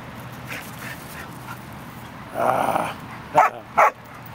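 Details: Dogs at play, a mother playing with her two sons; two short, sharp high yelps close together near the end, after a brief rougher burst, over steady background hiss.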